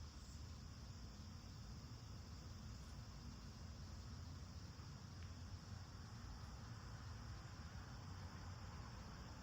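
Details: Garden cicadas in full August chorus, August 9, 2026, singing throughout the day; an even, continuous high buzzing wash holds steady for the whole stretch above a deep droning air-conditioner hum, with a faint tick or two.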